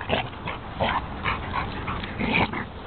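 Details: Playful wrestling between two dogs, one a Basset Hound being rolled over by a foster dog; repeated short yips and huffs in bursts, with scuffling and a person's voice around them.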